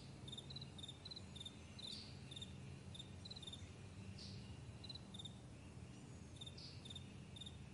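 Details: Crickets on a vast meadow in the morning, giving steady high-pitched chirps in short paired pulses repeated many times a second, quiet against a soft continuous low rumble.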